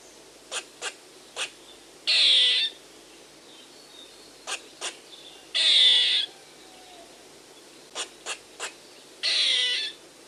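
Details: Squirrel giving a repeated call: each round has two or three quick, sharp clicks followed by a loud, harsh buzzy rasp, the pattern returning roughly every three and a half seconds, three rounds in all.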